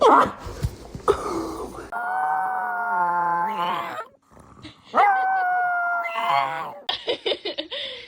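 A dog gives drawn-out, tuneful howling notes that hold steady, dip, then rise again.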